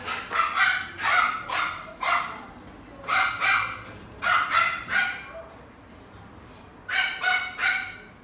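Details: Salt-and-pepper male Miniature Schnauzer, born 3 February 2018, kept in a pet shop, barking in short volleys of two or three sharp yaps with brief pauses, about a dozen barks in all over low background hum.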